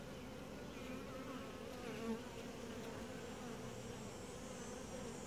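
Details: Quiet, gentle honey bee colony during a typical hive inspection; a smooth continuous drone with a steady humming band, and one brief louder note of a passing bee near the middle.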